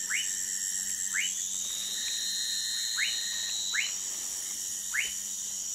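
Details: Orinoco lime tree frog (Sphaenorhynchus lacteus) in Manaus, Amazonas, Brazil. Short, sharply rising whistled notes repeat roughly once a second over a steady high insect-like hum.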